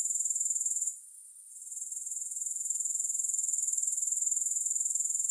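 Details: A shrill, rapidly pulsing grasshopper trill fills the recording, dropping out for about half a second before rising back to an even, continuous buzz.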